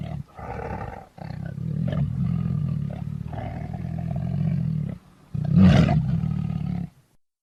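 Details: Lion roaring in long, sustained, very deep rumbles, two extended roars separated by a brief breath, the last one harsher and louder before fading to silence.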